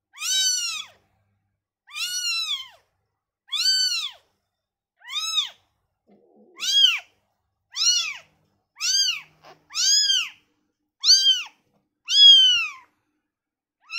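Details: Newborn kitten taken from its mother, crying in a series of high, arched mews with rich harmonics, about one every one to two seconds, each rising then falling, with silence between calls.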